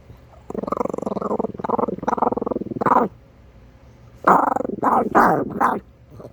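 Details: Minneapolis Chihuahua growling steadily in a long throaty, pulsed rumble, then after a pause a second bout rising into strained, higher whining growls.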